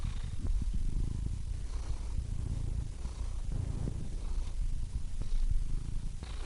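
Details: Low, rough rumbling of a purring cat, nearly all deep tone, steady with small surges and faint clicks, breath cycles less distinct.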